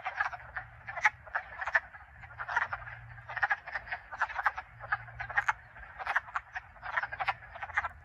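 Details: A chorus of wood frogs in a vernal pool in Connecticut gives overlapping, duck-like clucking chuckles in quick bursts.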